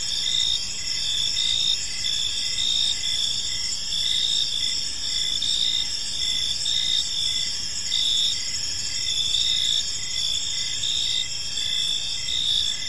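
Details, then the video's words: Gentle cricket chirping fills a park at evening; constant high trilling from many insects, short pulses repeating without pause across the whole stretch, light ambient hiss beneath. "Park Serenade: Cricket Sounds in a Peaceful Park | Evening Ambience"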